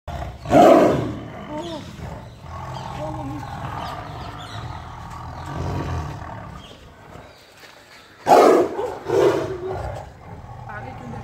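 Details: A tiger in a zoo gives short, harsh roaring bursts at very close range while people talk nearby.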